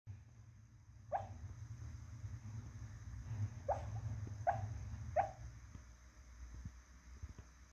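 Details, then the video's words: Luna, a Shih Tzu, dreaming of chasing squirrels while asleep; four short soft yips or muffled whimpers spaced about a second apart, each a quick falling tone, over a steady low indoor hum. "Luna the Shih-tzu dreaming of chasing squirrels"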